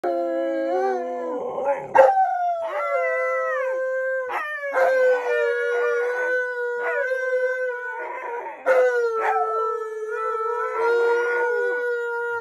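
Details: Two pet Alaskan Malamutes, Tonka and Monroe, howling together on their waterbed, as they do daily; long sustained rich harmonic howls overlap, with breathy breaks between and brief yelps starting each new howl.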